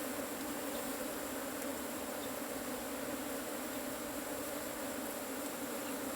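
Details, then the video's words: Loud, dense buzzing of many Asian honey bees while their cavity nest is harvested, a constant low hum with strong overtone bands and no pauses, filling the whole stretch. "ตีผึ้งโพรง ເອົາເຜິ້ງໂກນ"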